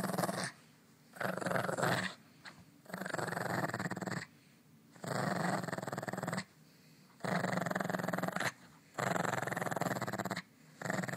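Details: A pet dog at play in the morning, growling in long rough rumbling bursts of one to one and a half seconds, about six bursts separated by short silences, in a quiet indoor room.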